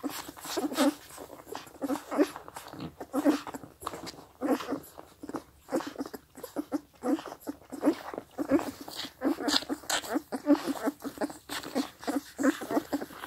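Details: Four-week-old Scottish Deerhound puppies make short, soft whimpering calls over wet lapping and slurping as they drink.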